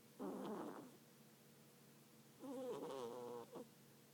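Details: Snoring cat while sleeping: two rattling, gurgling breaths about two seconds apart, the second longer and wavering, with a quiet steady hum between them.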